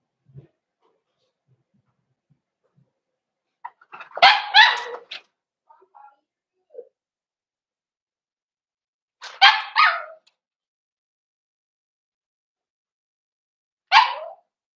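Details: Cavalier King Charles Spaniel puppies and older dogs getting acquainted in a home puppy pen, December 2022: scattered faint shuffles, then three well-spaced bursts of sharp, yappy barks about five seconds apart, the last a single bark.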